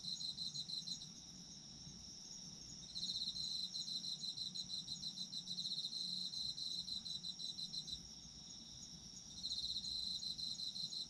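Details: Autumn insects singing for sleep ASMR, high buzzy pulse trains that start and stop in long phrases lasting several seconds, with a steady ringing drone underneath and a low background rumble.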